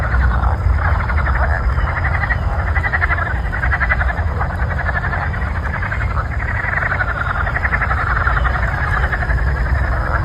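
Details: Frogs calling before a thunderstorm: a dense, unbroken chorus of rapid pulsing croaks in a steady buzzing wash, over a heavy low rumble throughout.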